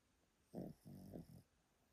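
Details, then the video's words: Elderly Pomeranian asleep indoors, snoring: three short, low, rasping snorts in quick succession, the first the loudest, in a quiet room. "Pomeranian that snores loudly"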